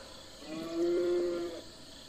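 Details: Domestic farm cow mooing: a single steady, low, droning moo lasting under a second, rising gently and fading, over a quiet background hiss.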